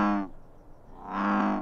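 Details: An American bullfrog gives deep, resonant droning notes, two low drum-like calls with a pause between, slightly lower than a green frog's.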